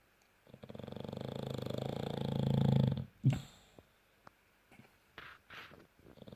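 A French bulldog snores with a long, low, rattling rumble that swells in loudness.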